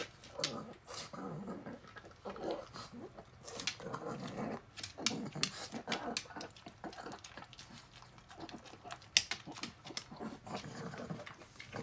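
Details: Elderly blind and deaf pug Rabi, a 16-year-old female, snuffling over a meal of canned tuna in a small room, with rapid smacking clicks, breathy grunts and snorts throughout.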